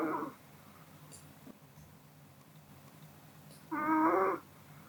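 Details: Kodama, a Pomeranian dozing after dinner, gives a short nasal snore with whistled, layered tones near the end, after a faint breath at the start. Quiet hiss fills the pause between them.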